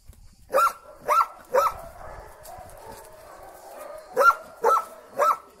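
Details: Belgian Malinois named Storm, a female, in a Lebanese forest, reunited with her owner after 25 days apart; sharp barks come in two bursts of three, about half a second apart, with a short pause between the bursts.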